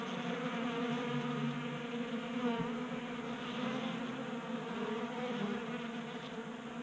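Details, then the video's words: Honey bees active in late winter heat, gathering at a 3D-printed feeder in a Colorado garage; thick continuous humming buzz, individual wingbeats shifting slightly in pitch as bees come and go. "45 Minutes of Honey Bees Feasting from 3D Printed Bee Feeder ASMR"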